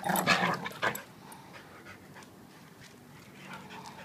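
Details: Wrestling game of a 7-year-old blue/red pitbull and a 7-month-old German Shepherd: two quick, loud yipping cries open, then a quiet low rumbling growl with faint panting and shuffling.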